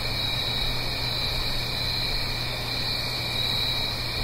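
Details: Autumn night cricket chorus recorded in the Blue Ridge Mountains above a gentle stream, a constant shimmering high-pitched trill with no pauses, over a faint low continuous rush.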